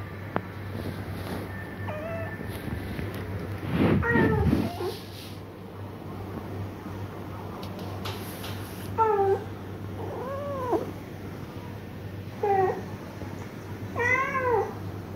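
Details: Domestic cat Machun, confused by meowing cat videos being played: after a quiet start with a brief rough burst, four arched, tonal meows follow one to two seconds apart, with a steady low hum underneath.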